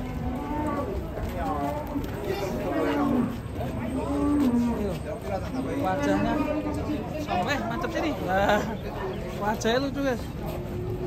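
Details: Cattle at an Indonesian cattle pen giving a series of low, drawn-out moos with arched pitch, several in a row, while people talk in the background.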